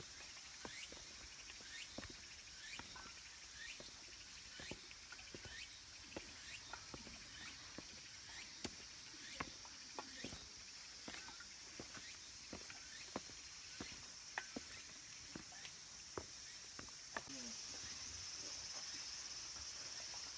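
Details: Cicadas at Kabusanji, a mountain temple in Takatsuki City, Japan, near the end of summer: a steady high shimmering drone fills the upper range, broken by scattered sharp ticks and taps through the grounds.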